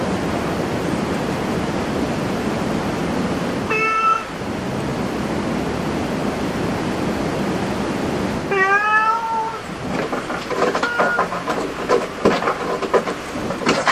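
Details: Cat in a cat cafe giving two clear harmonic meows, a short one near four seconds and a longer falling one near nine seconds, over steady broadband background hiss, followed by scattered clicks and rustling.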